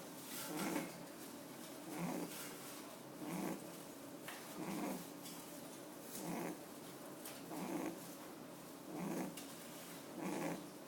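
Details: Domestic rabbit asleep with eyes open, giving a steady run of soft, noisy snoring breaths, roughly one every 1.4 seconds, eight in eleven seconds, in a quiet indoor room.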